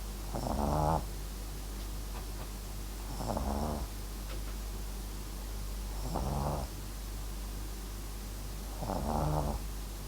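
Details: Sleeping Papillon and Japanese Chin mix named MAX snores steadily, four rattling, fluttery breaths roughly every three seconds, each lasting about half a second, with faint room hum between.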